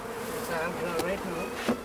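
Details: Honey bees in high summer, hives tended with smoke near Clonakilty, West Cork; a dense continuous hum of many wingbeats with wavering harmonic bands, plus a brief soft click-like tick near the middle.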